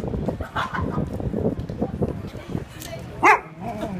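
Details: A Siberian Husky gives one short, sharp bark on seeing a pig on the street, with people talking in the background.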